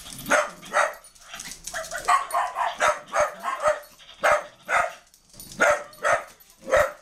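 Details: Dogs attacking a puppy: rapid harsh barks and yelps in quick bursts, roughly two per second, overlapping and uneven in loudness.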